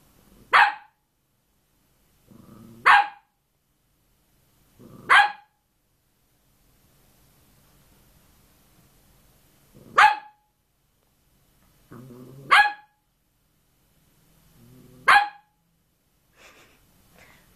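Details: Cavalier King Charles Spaniel barking: seven sharp, single barks spaced roughly two to three seconds apart, each sometimes preceded by a soft low huff, over a quiet background.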